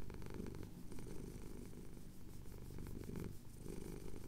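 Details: Male pet cat purring while having his chin scratched at sunrise over the Cotswold hills, recorded on a handheld Tascam recorder; low, continuous rumbling purr with a gentle in-and-out breathing rhythm, quiet and close.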